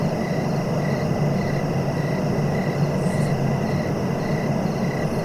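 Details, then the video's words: Short, evenly repeated cricket chirps pulse a few times each second under a loud, steady low rumble, with a faint high rasp near the end. "Relaxing cricket sounds for sleeping"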